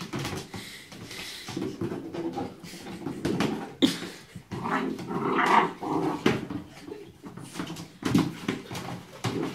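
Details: Five-month-old Cardigan Welsh Corgi playfully fighting with a bowl indoors, giving rough rumbling growls and huffs in short bursts, with clattering knocks as the bowl is pushed around.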